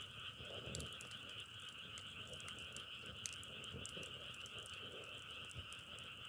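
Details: Frogs in a dense chorus: a steady buzzing trill with two layers, one lower and one higher, runs without pause. Scattered sharp crackles and ticks sit on top, and soft low rustling lies beneath.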